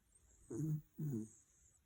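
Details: A sleeping dog snoring out loud indoors: two low, rumbling snore pulses about half a second apart, each lasting roughly a quarter second, with a steady faint high whine in the background.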